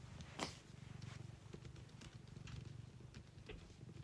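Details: Domestic cat purring loudly indoors near a keyboard, a deep, evenly throbbing rumble that runs without pause, overlaid by a few crisp typing clicks, one louder tap near the start.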